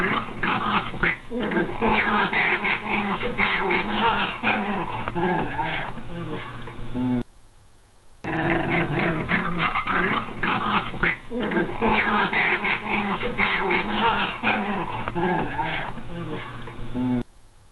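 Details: Cat growling in anger or territorial warning, telling others to back off: a long, continuous, harsh rumbling growl lasting about seven seconds, a one-second pause, then another sustained gravelly growl of similar length.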